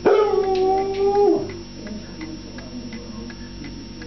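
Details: A foxhound howls because he wants his food: one loud, steady, slightly wavering howl lasting just over a second, then quieter room noise with faint clicks.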